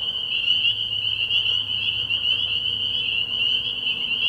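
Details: Spring peepers at a frog pond at night in early spring, a thick chorus of high-pitched peeps repeating without pause and fusing into a steady shrill band, with a quiet low hum in the background.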